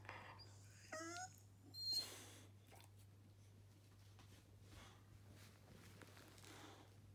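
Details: Boxer dog, bored, talking and yawning indoors; one short high whining moan with stacked harmonics, then a breathy burst. Afterwards there is mostly quiet room noise with a steady low hum.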